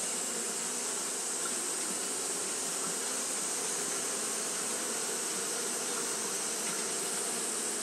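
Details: On a hot day, Japanese honey bees fanning without pause make a continuous dense buzz, low humming bands beneath a loud, level hiss.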